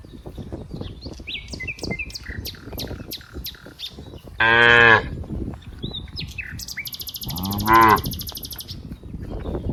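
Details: Cows from a herd of dozens playing together in green rice fields: two loud, harmonic moos a few seconds apart, set against steady bird chirping and a high buzzing insect-like drone.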